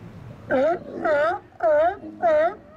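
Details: Steller sea lions chatting in an outer harbour on a sunny January winter day; four loud, rich, wavering moans, each lasting about half a second, repeat at a steady pace against a quiet background.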